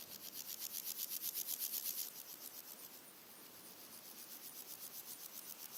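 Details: Three red-legged grasshoppers singing in daytime in early August, with other insects, birds and wind behind them. High, dry rasping pulses repeat about four times a second, loud for the first two seconds, then softer and steady.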